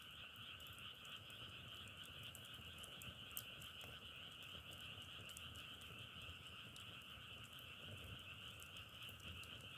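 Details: Frogs in a dense, steady chorus forming a continuous high trill, with faint crackling clicks scattered throughout.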